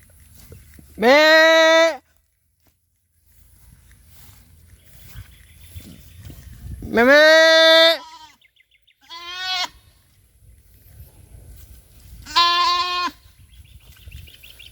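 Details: Farm goat whose kid has gone missing, apparently bitten by a cobra, calls for her young: loud, long, harmonic wavering bleats, about three in quick succession with a shorter one between, over faint background noise.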